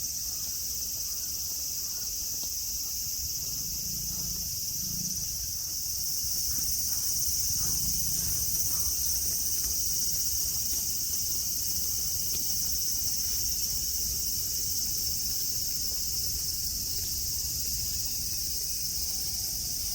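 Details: Cicadas singing in Nara Park, Japan, under blue sky among green mountains and grass where friendly deer graze; a continuous, shrill, high-pitched buzzing chorus holds steady for the whole stretch, with faint low rumbles underneath.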